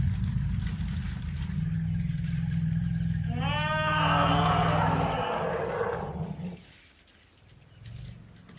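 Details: Elephant purring outside a tent at night while camping in Tarangire National Park, Tanzania, with a herd nearby. A deep steady rumble runs for about five seconds, overlaid midway by a rising-and-falling harmonic call, then fades.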